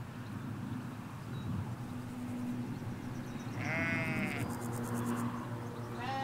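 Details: A single shaky, wavering bleat rises out of a low, steady background drone. Ewes and lambs graze in a Hampshire field, recorded with a stereo microphone halfway along a hedge.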